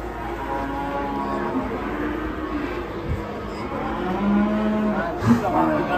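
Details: Cattle on the rampage after a rope tightened on its neck, later ramming an old man. Low bellows drift through the clip, building to a stronger moo near the end, with voices and music.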